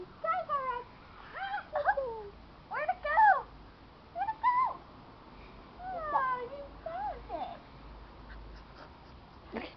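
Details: Keeshond puppies whining: short high squeaky cries sliding down in pitch, given in clusters every second or two, with quiet background hiss.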